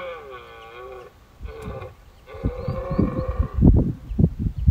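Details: A dominant red deer stag gives drawn-out, harmonic rutting roars at first light on Exmoor in 2023, sitting among his hinds while a smaller stag and six prickets mob him trying to steal hinds.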